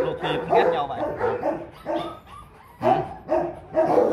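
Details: Rottweilers, kept as guard dogs at a Vietnamese kennel, give deep repeated barks in clustered bursts with a short pause midway, a person talking faintly behind them.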